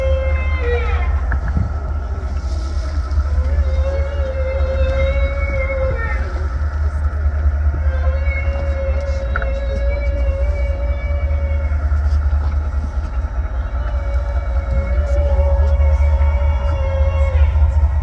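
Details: Humpback whales, several animals, give long sustained moaning tones with steady harmonics, holding near one pitch for many seconds and rising slightly near the start. A loud, constant boat-engine rumble runs underneath throughout.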